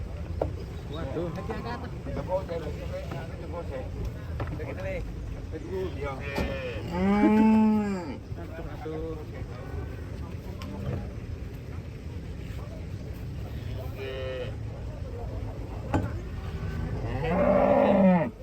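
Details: A huge cow being loaded onto a truck: faint short lows early on, then a loud swelling moo near the middle and another rising one at the end, over a constant rumble of engine and yard noise.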